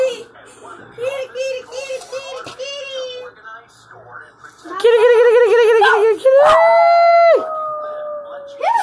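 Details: Spike, a pet dog, howling indoors while children call the family cats; long drawn-out tonal howls, the last one a steady sustained note lasting over a second, with children's voices calling and chattering throughout.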